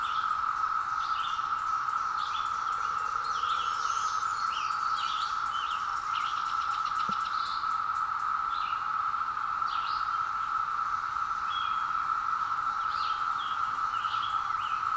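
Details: Seventeen-year periodical cicadas emerging in woods fill the air with a steady, droning whine that never lets up and carries like a wave across the trees, with birds chirping above it.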